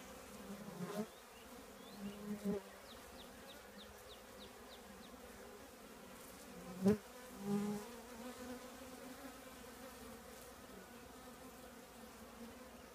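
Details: Bees of a honey bee colony living in an old trash can, heard as a continuous droning hum, with sharp, brief buzzes at about one, two and a half and seven seconds as workers zip near.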